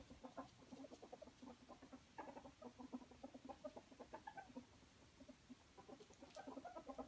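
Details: Ferret wrestling and playing, squeaking happily with the chuckling sound called Muckern; rapid low clucking pulses run steadily for seven seconds, several per second, with brighter squeaky bursts near the start and end, recorded indoors.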